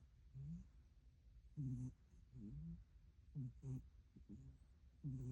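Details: Sleeping cat snoring: soft low rumbling breaths repeating roughly every second, each with a faint nasal whistle rising in pitch, in a quiet room.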